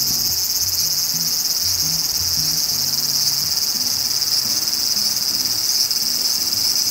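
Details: Large brown cicada, whose Japanese name is said to come from a call resembling spattering hot oil: a steady, dense, sizzling hiss that runs unbroken throughout, with faint low tonal sounds underneath.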